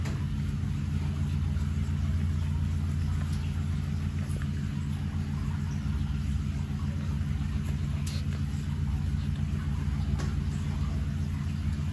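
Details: A steady low engine rumble, like a vehicle interior, with no animal voice.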